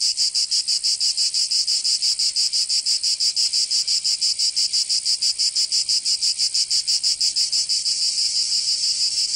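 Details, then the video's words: Summer cicada chorus in Provence, southern France, a harsh high-pitched rasp pulsing very regularly, roughly three beats per second, holding even loudness throughout and swelling slightly near the end. "Canto Cigarra"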